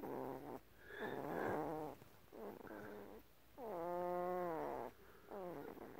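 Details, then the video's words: Eleven-day-old female Great Pyrenees puppy, tired and talking a lot: a series of nasal whimpers and whines with clear harmonics. Some are short and level; a long one near the middle bends up and then falls back. Quiet room, with no other sounds. "Puppy Talk - 11 Days Old"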